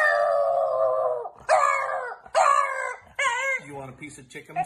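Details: Pet dog indoors giving wavering, moaning howls in short bursts, mixed with a person talking to it about chicken.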